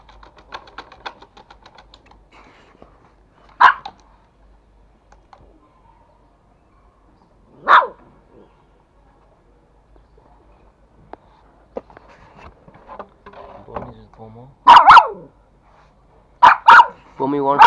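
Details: Two Toy Pomeranians, a male and a female, kept as pets in Kathmandu, Nepal, fighting over a bone. The female gives sharp single barks several seconds apart, then a tighter cluster of loud barks at the end, with faint background noise between.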